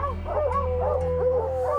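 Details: Tracking hounds baying at a treed mountain lion, a mature male cougar, in steep Rocky Mountain canyons in fresh snow. Distant wavering howls overlap and rise and fall, over a low steady hum.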